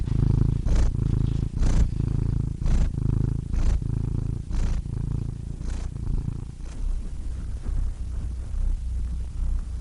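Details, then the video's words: Purring cat, a low continuous rumble rising and falling with each breath about once a second, strongest early and softening slightly toward the end. "Cats Purring Soothing Sound Effects (Relaxing Cat Sounds)"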